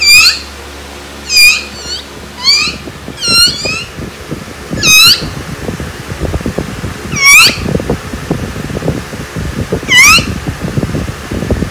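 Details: Laalaa, a dog being teased, gives high, thin squeaks with curved pitch, one every one to two seconds. They are heard over steady rustling and handling noise indoors.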